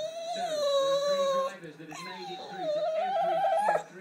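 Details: American Staffordshire Terrier, told it is bath time, voicing a loud, sustained whining howl in two long phrases, the first steady and the second rising and wavering upward, rich in harmonics, indoors.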